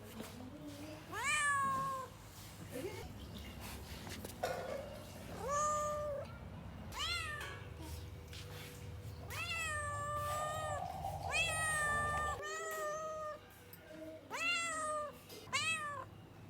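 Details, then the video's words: Domestic cat meowing repeatedly, about six clear drawn-out meows, each rising then dipping in pitch, separated by short pauses, over a steady low hum. "weird cat noises to attract cats"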